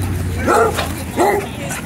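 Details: Dogs at a dog park during rough play, breeds including German Shepherd, Golden Retriever, Australian Shepherd and Rhodesian Ridgeback, at sunset; two short harmonic barks about 0.7 seconds apart over a low steady hum.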